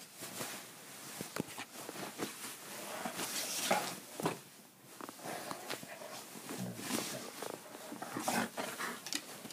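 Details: Declan, a two-year-old Irish Setter, acting crazy after a meal indoors: bursts of rough, noisy growling and snorting, with scuffling and thumps between them.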